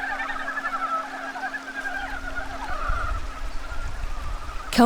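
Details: Korean wood frogs, newly woken from winter and seeking mates in a forest valley stream, in a dense, overlapping chorus of quavering croaks, with a steady low hum underneath and a sharp knock at the very end.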